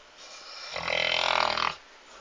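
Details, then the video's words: Lord, a dog, snoring indoors: a single rasping inhaled snore lasting about one second, rough and buzzy with a fluttering rattle, over a faint steady background hiss. "Собака храпит"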